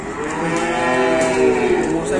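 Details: A sustained, rich moo from a raging, runaway cow, deep and even with many overtones, heard over faint background noise.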